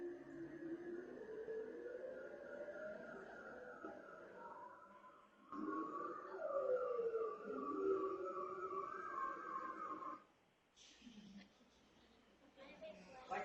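A seal underwater makes long, eerie gliding tones that swoop up and down and overlap.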